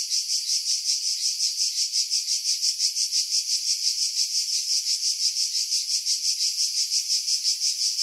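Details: Cicada chorus from pine trees at Pefkos Bay, Skiros, Greece, July 2018, captured with a Sony RX3 and external mic: an intense, high, grainy buzz pulsing very regularly almost three times each second, filtered to remove wind.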